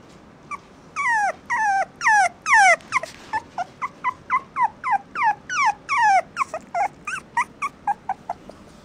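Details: Affectionate young male Toy Poodle whining insistently: long, falling, nasal cries run into a steady string of shorter yips and whimpers, repeated more than twice a second with little pause, in a quiet room.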